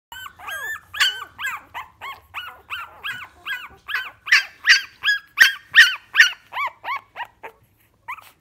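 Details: Staffordshire Bull Terrier puppies from Ruby's first litter, crying in a busy chorus of high, arched whines and yelps that rise then fall, several overlapping, repeated about two or three times a second and growing louder midway.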